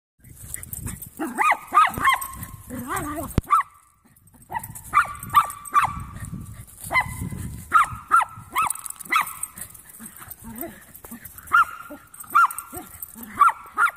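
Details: Three young Jack Russell mixes playing together, giving sharp high barks in scattered bursts with short pauses, plus lower growly scuffling sounds in between.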